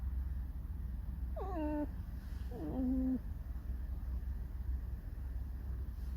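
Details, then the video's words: Pet fox giving two short squeaky whines, each starting high and dropping, the second flattening into a held note, over a steady low hum in an indoor room. "Алиса лиса. 50 оттенков рыжего скрипа"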